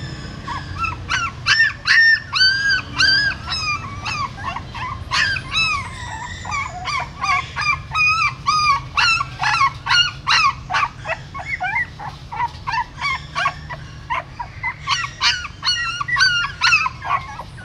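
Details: A female dog's newborn puppies, born inside a pagoda stupa in Siem Reap, while she moves them by mouth: a long stream of shrill, quavering squeaks and yelps from several pups, dense and nearly nonstop.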